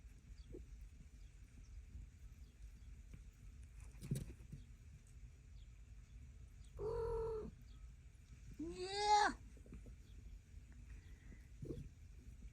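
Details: Blackie, a black mother cat, calling her growing kittens as she walks into her house so they come over; a short steady mid-pitched meow, then a louder, richer meow about two seconds later rising and falling, with faint knocks between.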